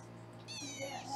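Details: Kitten at a Los Angeles foster home, being weighed, lets out one short, high, bright meow that rises and then slowly falls, with quiet room hum behind it.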